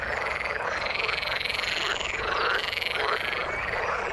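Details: Frogs calling in the water, a dense chorus of overlapping croaking calls in a mid-high band, quick repeated pulses rising and falling with no pauses, with a steady hiss beneath.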